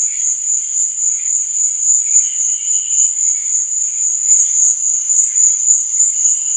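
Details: Nocturnal crickets trilling continuously at a high pitch, the level swelling and dipping rhythmically, with intermittent lower chirps surfacing around two to three seconds and again near the close.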